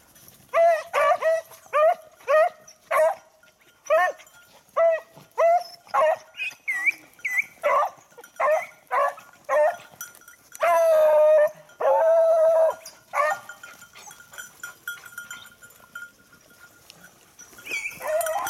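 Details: Beagle on a hunt after a lost hare, recorded 19 October 2022: a long run of loud, ringing baying barks at a steady medium pitch, many drawn out into howls, continuing for most of the stretch before trailing off into quieter sounds.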